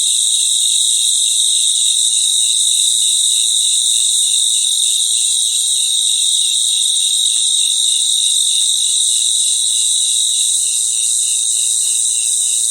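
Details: Many crickets singing together at night. An unbroken high-pitched ring with a beaded, rapidly pulsing lower trill. A few faint clicks are heard around the middle.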